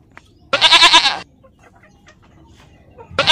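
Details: Goat giving one loud, harsh, wavering bleat of about 0.7 seconds. A second bleat begins just as the recording ends. Faint rustling fills the quiet gap between them.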